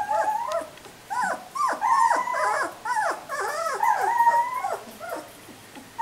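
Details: Three-week-old puppies recorded on July 13, giving a rapid run of high, tonal squealing whimpers. Each cry bends downward, and they tumble over one another several times a second with brief pauses between bursts.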